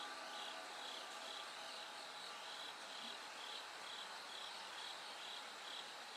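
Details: Bell crickets singing through the night into early brightness, a dense, even wash of high pulsed chirping repeated steadily, with no other clear sounds over the steady insect chorus.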